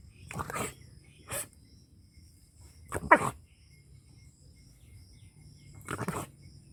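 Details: An angry dog in a rural Punjab village, Pakistan barks in harsh bursts: a double bark, a short single, a loud bark at three seconds, then another pair after a pause, over a low rumbling background.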